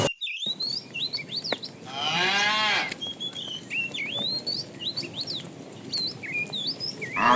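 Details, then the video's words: Tame cows roam the road in search of food; a single short, wavering moo stands out amid busy chirping and whistling birds. "Funny cow sounds"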